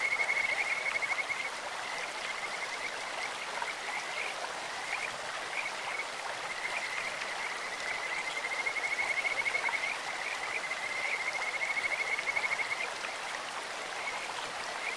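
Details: Kajika frogs calling in a clear stream: sweet, bird-like trills near one steady high pitch in long rapid runs of fast repeated notes, rising and falling in strength, over a constant rush of flowing water.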